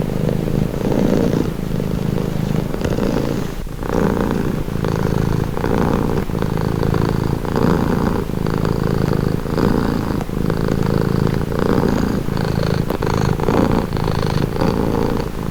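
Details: Purring cat, a calming sound: a dense low rumble beating in rapid, regular pulses, with a soft airy rasp riding on top, uninterrupted for the whole stretch.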